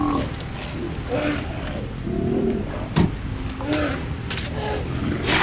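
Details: Sea lions in colonies at Mar del Plata and Necochea, Argentina, giving deep hoarse roaring barks, several overlapping in short bursts, with surf and wind noise beneath and a voice faintly present.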